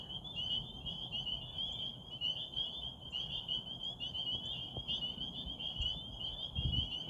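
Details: Pond frogs at Rehoboth calling at night under a waxing gibbous moon, a thick high-pitched trilling chorus running without pause, over a low background rumble and a few faint thumps near the end.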